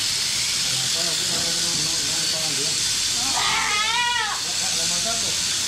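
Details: Angora goats on shearing day: a quavering bleat rises and falls in pitch for about a second, following scattered low murmuring calls. Constant loud hissing and people talking nearby.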